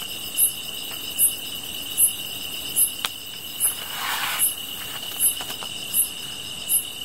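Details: Insect chorus beside a fire: a steady high trill underlies sharp chirps spaced about 0.8 seconds apart, with a brief rustling crackle midway and scattered pops.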